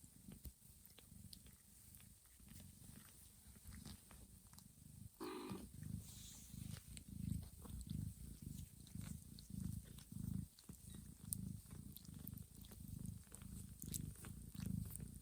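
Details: Purring of Johanna, a mother cat, while she grooms sleeping kittens in a calm room; a continuous low rhythmic rumble, briefly broken by a short high kitten squeak early on.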